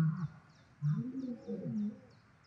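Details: Hyenas and lions battling over food in South Luangwa National Park, Zambia; low, drawn-out groaning calls that bend up and down in pitch, three bursts in quick succession, with a faint, regularly repeated high chirping behind.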